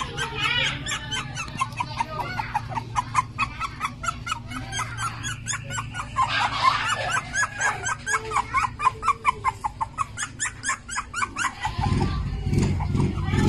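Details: Jack Russell Terrier giving a long run of quick, sharp, high-pitched yapping barks, about three a second, over a steady low hum, before a deeper rumbling noise takes over at the end.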